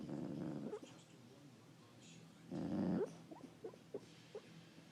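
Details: A sleeping dog snoring: two rough, breathy low rasps about two seconds apart, the first long and steady, the second shorter, with soft faint snuffles and small clicks between them in a quiet room.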